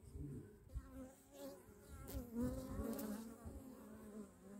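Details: Bee wing buzz as a continuous droning hum with a clear stack of harmonics that waver slightly in pitch, growing louder for a moment near the middle.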